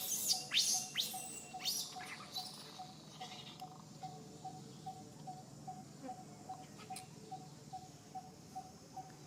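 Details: A baby monkey, Sariki, gives shrill, sweeping cries while its mother Sarika teaches it to ride on her back, then falls quiet over a steady repeated ticking tone.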